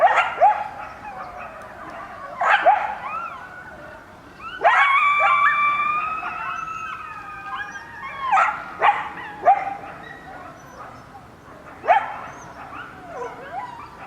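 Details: Several coyotes of one family howl in answer to sirens, mixing short rising yips and barks with a long steady chorus of overlapping wavering howls in the middle, followed by scattered yelps.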